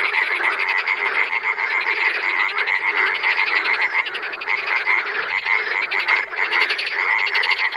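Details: Frogs calling in the wild: a dense, unbroken chorus of rapid pulsed croaks from many animals, overlapping continuously throughout with no gaps.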